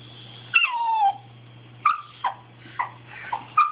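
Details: Wanting something, pet dog Bailey gives a high yelp dropping into a brief whine, then four short sharp yips spaced about half a second apart, over a soft background hum.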